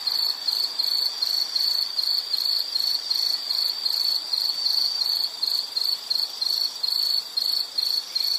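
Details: Insect chirps used as calming nature sound, a sharp high trill repeated in short even pulses near three per second, constant and alone.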